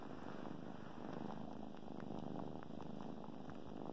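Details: Several kittens purr and suckle on a favorite blanket; a low, even rumble carries steadily under small clicking mouth noises.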